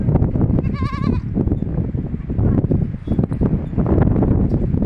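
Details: Young goat kid at a goat farm giving a single quavering, wavering bleat lasting about half a second early on, with the rest filled by loud, steady rumbling background noise and clatter.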